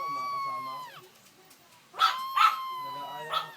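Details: A one-month-old Shih Tzu puppy singing, its favourite pastime: a high, drawn-out whining howl that holds steady for about a second and then slides downward. Short bursts of human voices follow.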